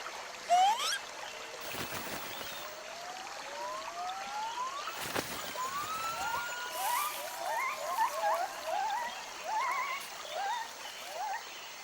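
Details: Gibbon Jarunee in upper foliage near her mother, rising whistled glides sliding upward, then a run of short hooked notes in quick succession, over a soft trickling background with a few sharp knocks.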